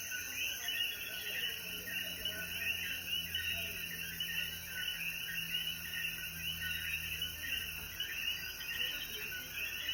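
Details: Many coquí frogs in Jayuya, Puerto Rico, singing at dusk after rainfall; steady layered chirping throughout, slightly softer, with a continuous high-pitched insect drone and faint low rumble.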